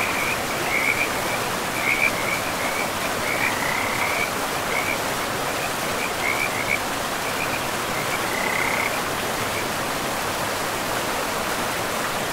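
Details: Along a forest river among mossy ground, frogs give repeated pulsed, rattling croaks every second or two for most of the stretch, fading toward the end, all set against the continuous hiss of running water.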